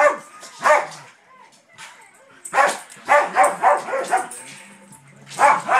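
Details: A pet dog named Daisy pesters her old sister dog, wanting to play. A fast run of five rough barks fills the middle, with single barks before and after and a voice murmuring in the background.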